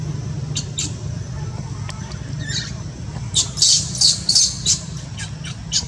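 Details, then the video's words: Crying newborn monkey Luno, whose mother Luna does not accept him: scattered faint squeaks at first, then a loud run of sharp, high squeals in quick succession, with a low hum throughout. "Newborn baby monkey Luno crying cos mom - Mom Luna doesn't love newborn baby monkey Luno"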